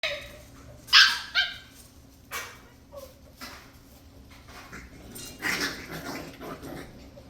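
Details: Six-week-old Scottish Terrier puppies playing wildly indoors; scattered short yips and sharp barks with rustling and scuffling between, a burst of several yelps near the end.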